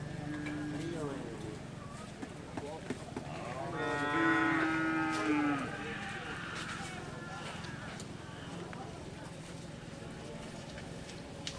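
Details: Madura cattle during karapan sapi bull race training at Lap Asemanis, Madura, East Java, Indonesia: a drawn-out, low, steady moo with rich overtones around the middle of the recording, over constant background hum and distant crowd noise.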